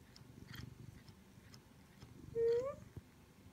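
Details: Indoor Siamese cat, a pet male, purring in a small room: a steady low rumbling pulse runs throughout, and near the end a short, clear rising tonal call stands out. The owner speaks softly nearby.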